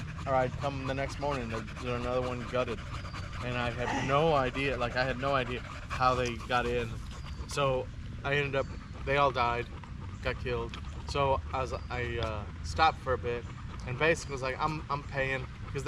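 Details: At a park on a long evening, a Staffordshire Bull Terrier chats with other male dogs in a run of warbling, whine-like yips that bend up and down, bunched into bursts with short pauses, plus soft panting and distant traffic hum.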